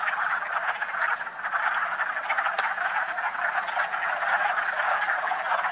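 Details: Wood frog chorus at a vernal pool in West Hill Park in March, spring, frogs out in full force: a dense, continuous mass of overlapping clucking croaks filling the air without pause, a few faint higher chirps near the middle.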